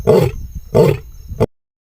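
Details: Lion growling loudly: three harsh, rasping bursts with a deep rumbling core, two longer ones and a short final one, spaced under a second apart, then abrupt silence.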